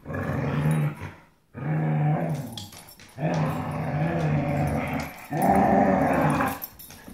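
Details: Two dogs fighting over a rope toy indoors, giving deep, rumbling growls in long bursts of one to two seconds, separated by brief pauses.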